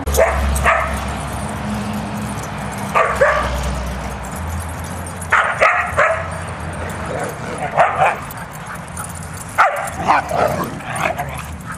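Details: Playful huskies, some two dozen of them, wrestling and running about on 4-23-10: sharp barks and yips arrive in scattered bursts every couple of seconds over a low, droning hum.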